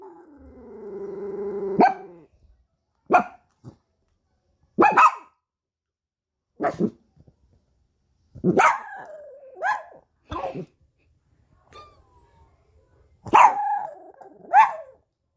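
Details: Startled dog howling after an ambulance siren: a long wavering harmonic howl opens, followed by a series of short sharp barks and yelping howls, some sliding downward, separated by silent gaps of about one to two seconds.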